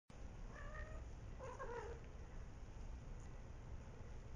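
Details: Three-week-old kittens fighting and play-boxing, giving a few short, thin mews with stacked harmonics between about half a second and two seconds, over a steady low rumbling background hum.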